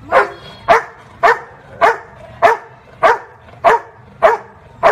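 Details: Labrador Retriever barking the number of times shown on a woman's fingers: about eight sharp, evenly spaced barks, one roughly every 0.6 seconds, in a quiet room.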